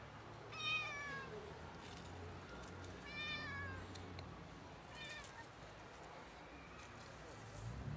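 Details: Ginger cat out of the bushes begging for food; three clear, strongly harmonic meows roughly two seconds apart, each rising then falling, over low rumbling background noise.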